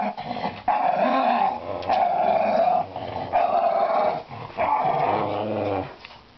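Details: Playful growling from a household dog trying for a toy in a laundry basket; four drawn-out, steady rumbling growls, each about a second long, separated by short breaths.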